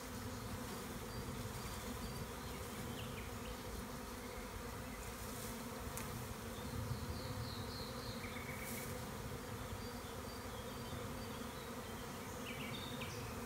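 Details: Beekeeper collecting a large honey bee swarm from a tree in rural Tuscan Maremma in spring: a loud, unbroken low buzz for the whole stretch, with occasional faint bird calls above it.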